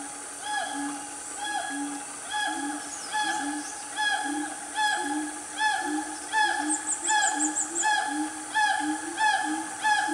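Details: Wild siamang family calling loudly in the Gunung Nuang forest of Selangor, Malaysia, mid-morning: repeated rising whoops with bright upper tones, roughly eighty per minute, layered voices over a constant high insect drone.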